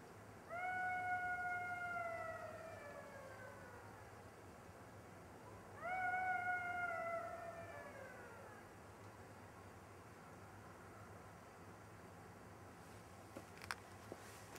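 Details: A golden jackal runs around its mate, killed by a car on a road, giving two long, plaintive wailing howls that hold steady, then sag downward at the end, as if calling it.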